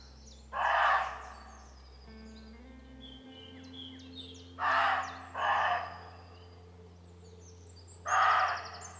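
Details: Roe deer give harsh, hoarse barks, single or paired, spaced a few seconds apart, part of about 15 minutes of calling between roe deer.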